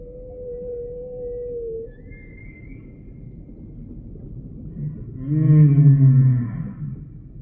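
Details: Humpback whale song: a thin, level tone holds for nearly two seconds, a faint high whistle follows, then a loud, low, harmonic-rich groan rises and bends downward near the end.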